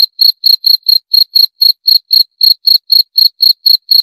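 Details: Insistent cricket call: a string of sharp, shrill pulses, roughly four each second, evenly paced with nothing else audible.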